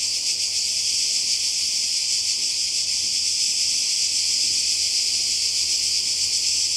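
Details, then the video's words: Cicadas in Croatia by the sea during summer 2020, a dense, steady high-pitched buzzing chorus that holds without a break from start to finish, with only a faint low hum underneath. "Kroatien Zikaden und Meer"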